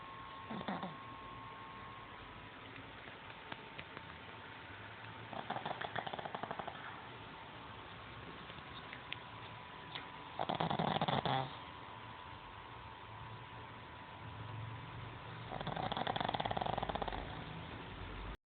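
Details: Pet pug snoring indoors with rough, breathy snorts that come about every five seconds, each lasting around a second, over a steady low hum and a constant whine.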